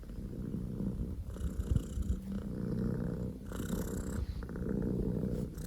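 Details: Scottish Fold kitten Poko J purring loudly, a steady low rumble through breath cycles, interrupted by a brief rustle or scratching noise midway and a few soft clicks.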